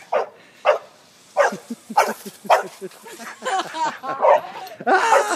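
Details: Dog playing on a trampoline, barking in short sharp bursts, first spaced about half a second apart, then faster and run together into excited yelping barks near the end, with people cheering and talking nearby.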